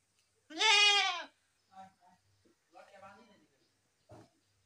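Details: A loud, trembling goat bleat lasting under a second opens, followed by faint scattered sounds and soft murmuring.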